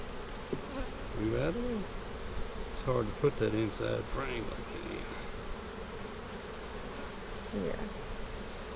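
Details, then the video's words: Honey bees during an April 15, 2017 hive inspection of a split made March 4. Buzzing tones swell and waver in pitch as bees fly past, louder around two to four seconds and again near the end, over a low steady hum. "Bee Hive Inspection"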